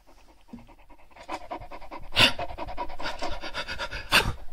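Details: Snuffling pet Shar Pei, growling and sneezing as it rummages through pockets: quick rasping breath pulses build in strength, broken by two sharp explosive sneeze-like bursts.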